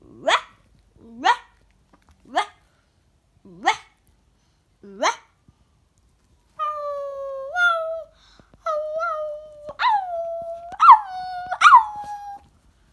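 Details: Yorkshire Terrier puppy indoors, vocalizing back and forth with a child as if discussing things. Five short sharply rising yips come about a second apart, followed by drawn-out whiny tones that waver and jump in pitch.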